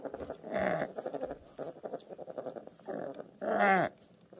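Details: Orphaned newborn brown bear cubs at a rescue centre, having lost their mothers to human conflict, logging and illegal hunting; rough growling and whining calls in uneven bursts, ending in a louder drawn-out moaning cry.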